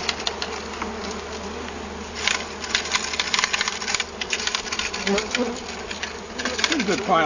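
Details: Buzzing honey bees being shaken into a hive body from a bee-vacuum after their colony was found in a cut-down tree. A continuous low hum carries under repeated clattering taps and brief knocking bursts.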